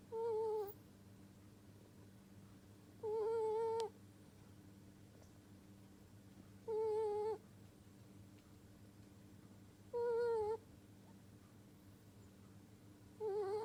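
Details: Sleeping pet ferret snoring indoors: short whistled, slightly wavering tones, each under a second long, repeated about every three seconds with quiet pauses between, over a faint steady room hum.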